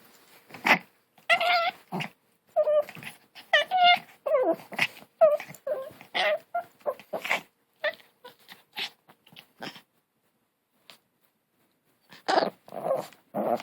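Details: Funny-sounding long-haired Chihuahua puppy, its 'grrrrr' compared to a hunting dog: a rapid string of nasal, bending yelps and grumbling growls, roughly a dozen bursts, then a pause before a few final rough growls.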